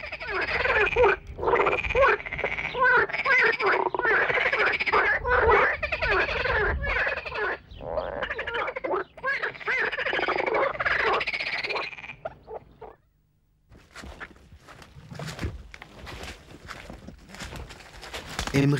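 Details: Frogs resuming courtship in a group chorus, sounds made by inflating a pouch behind the head: a long stretch of thick, rattling croaks layered over each other, then a short silence followed by scattered clicks and knocks.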